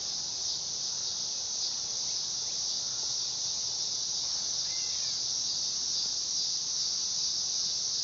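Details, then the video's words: Dog-day cicada (Neotibicen canicularis) song heard as an unbroken, shrill, high buzzing drone at a steady loudness for the whole stretch, with no other clear sounds. "Cicada sound / call / noise | Dog day"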